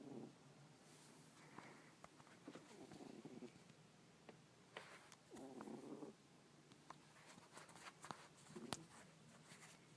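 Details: A small pet cat named Isis snoring while asleep indoors, soft breathy low rasps recurring every couple of seconds, very quiet under faint room hiss and a few light clicks.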